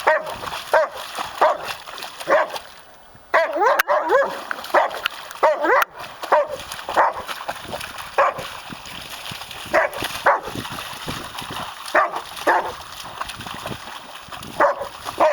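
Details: Male German Shepherd Myrkvi searching frantically in a shallow pond for the tiny rock he dropped; a restless run of short, high, pitch-bending whimpers and yips, some rising and falling, with steady splashing water underneath.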